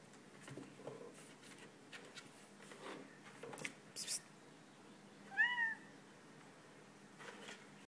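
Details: Male Bengal kitten indoors, playing with an empty glass and apparently trying to reach the last drop of water, gives one brief rising-then-falling meow amid quiet clinks and taps of the glass.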